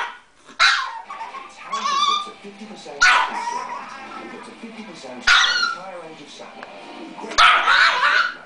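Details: Small pet dog Bitzy going nuts with barking: four sharp, shrill barks spaced about two seconds apart over a busy background of voices and faint music.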